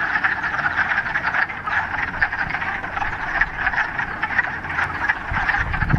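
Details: Many frogs calling in a mountain pond in the Ramapo Mountains in mid-March, on the first warm day of spring after a week of rain: a dense, continuous chorus of rapid clucking croaks overlapping without pause, with faint low rumble beneath.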